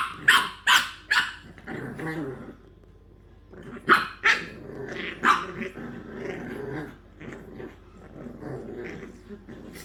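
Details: English bulldog puppies in play let out a quick run of shrill yaps, then rumbling growls with occasional sharp barks, the growling continuing softly underneath toward the end.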